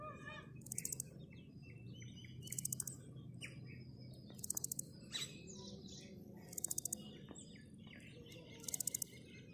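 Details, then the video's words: Grasshopper call of brief, pulsed, raspy buzzes, each a quick rattle of clicks, returning about every two seconds over soft background chirps from birds. "Listen to the Grasshoppers | Grasshoppers call | Grasshopper sound"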